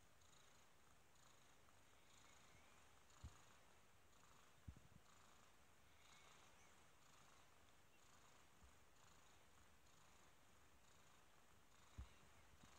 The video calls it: kitten purrs